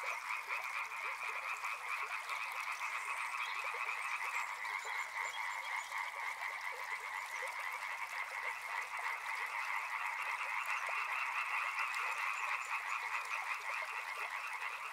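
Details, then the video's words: Dense frog chorus by a river, many overlapping pulsed croaks merging into a steady trilling band with no pauses, occasional higher chirps above. "Frog Sounds | Soothing sounds of river and frogs"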